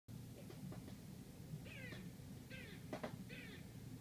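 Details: Squirrel barking outside an apartment in Manhattan, New York City: after a few soft clicks, three harsh, raspy barks come close together over a steady low city rumble.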